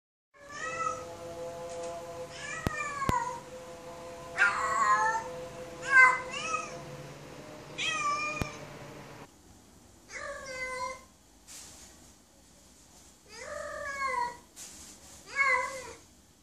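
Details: Female domestic cat in heat calling for a mate: a run of about ten drawn-out, wavering meows, some rising then falling, with short pauses between them, over a steady low hum and a few sharp clicks.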